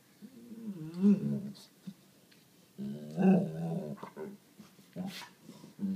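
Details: Sadie, a 7-year-old white Labrador Retriever, talks and complains indoors while trying to get a black pug to play, giving drawn-out groaning whines with rising and falling pitch in two long bouts plus shorter grumbles.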